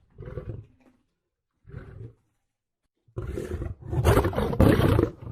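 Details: Lion roaring: two short low grunting bursts separated by silence, then a long, loud, deep roar building into harsh, powerful bellows over the final two seconds.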